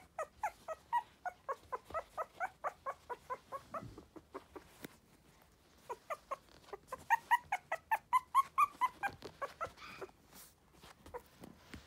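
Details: Sturdy-bodied Tiny Poodle whimpering indoors in a steady run of short, high yips, roughly two per second, pausing briefly midway, then resuming in a louder, more urgent burst before fading out.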